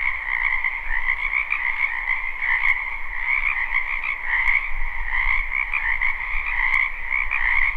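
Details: Frogs croaking en masse in a spring wetland, live recording without looping: a constant buzzing trill chorus with gentle swells, over a steady low rumble and a few isolated clicks.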